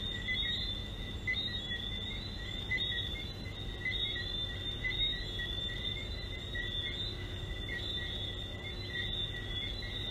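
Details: Frogs at Sandals, a steady chorus of high, continuous trilling calls in two bands, one near the top and one just below, running unbroken throughout with faint low background hum.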